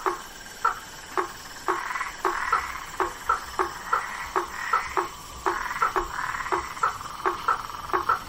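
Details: Night swamp with blacksmith tree frogs: sharp metallic tonks repeated roughly twice a second, some in quick pairs, over a continuous droning chorus of other night callers.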